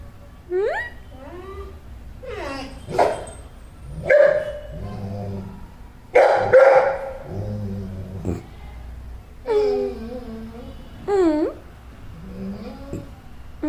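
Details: Pet dog making weird noises whenever it is tied up, sounding annoyed: a mix of whiny, wavering moans, yelps and grumbling howl-like sounds rising and falling in pitch, with short sharp bursts between them.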